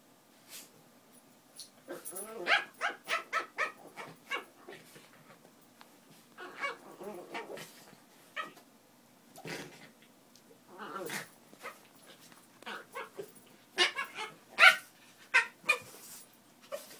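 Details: Miniature Pinschers at play, trading rumbling growls that rise into whiny, tonal yelps, with clusters of short sharp barks toward the end.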